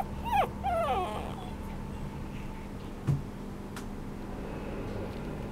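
A small Maltese and Yorkshire Terrier mix gives two quick, high, wavering whimpers that slide downward.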